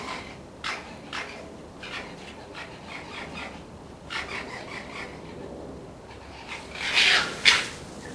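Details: Orphaned red fox cubs in a pen, later returned to the wild, give harsh, breathy, rasping calls in irregular bursts, ending with a louder scratchy squeal.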